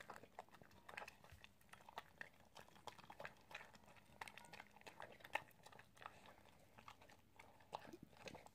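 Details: Eating sounds from an Italian Greyhound: a steady run of crisp crunches and mouth clicks at an irregular pace, some louder snaps among them, over low background noise.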